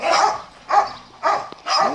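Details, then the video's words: Dogs barking during a lunch break while cats rest; four short, sharp barks spaced about half a second apart, loud and clear with quiet gaps between. "собаки гавкают"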